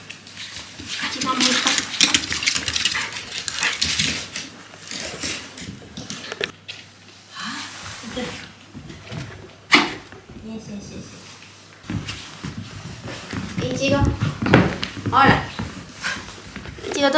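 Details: Shiba Inu dog indoors after turning back from a walk in a blizzard, giving short irregular barks and vocal bursts, mixed with people talking and household knocks in a small room.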